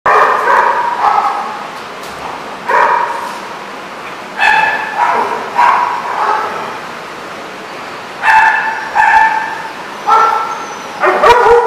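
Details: Dogs at The Barking Lot in RI, recorded 1/31/14, giving repeated harmonic barks and yips in irregular bursts, several voices overlapping, with short clicks and bangs between them.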